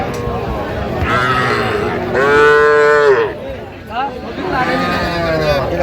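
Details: Cattle, small bulls and heifers, at a livestock market in Bangladesh where a young woman farmer buys them; several drawn-out harmonic moos, the longest near mid-clip, with faint crowd noise behind.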